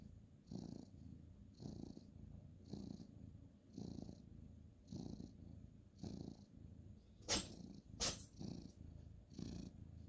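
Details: Ginger tabby male cat purring while petted on a bed at bedtime, 2/11/2023: low rumbling purr swelling in regular pulses about once a second, with two sharp clicks near the end.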